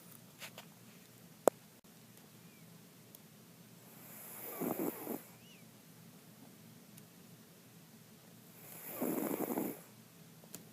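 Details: Mr. Jigilo, a pet cat nicknamed Jiggy, snoring while asleep: two drawn-out, raspy, breathy snores about four to five seconds apart, each swelling and fading, with a few faint clicks in a quiet room.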